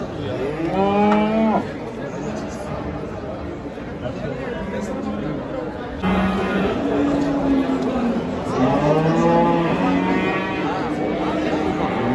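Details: Simmental heifer from a livestock market, loaded onto and unloaded from a truck: three long, wavering moos with rising then falling harmonics, around the first, seventh and ninth seconds, with men talking and background music.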